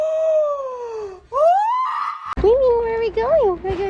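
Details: Domestic cat indoors giving a long falling meow, then a rising one, followed by several shorter wavering meows, with a person talking about going to get a treat.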